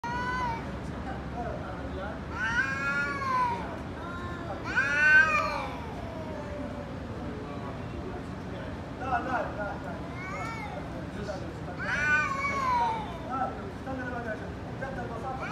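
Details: Angry cat during a fight, giving drawn-out, wavering harmonic yowls in bursts near the start, middle and end, with quieter rising and falling meows between them and a low background hum.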